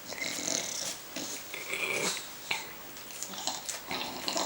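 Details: Bulldog begging indoors while Finnish voices tell it the porridge is not its own: a run of wheezy, snoring snorts and raspy breaths in uneven bursts, with faint room noise between them.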